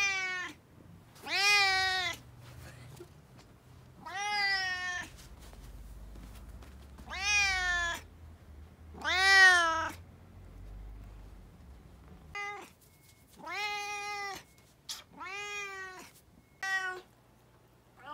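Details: Choco, a talkative brown tabby cat who is always saying something and is back to full energy after a cold, gives seven loud, drawn-out, harmonic meows that rise and fall, separated by pauses of one to three seconds.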